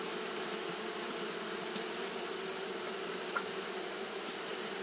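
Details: Constant droning of fanning Japanese honey bees on a hot day, low steady bands beneath a level bright hiss, with one short click near the end.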